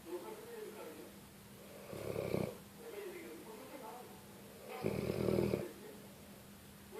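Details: Sleeping pet dog snoring indoors: two rough, breathy bursts about three seconds apart, each lasting under a second, with a faint steady hum in the room between them.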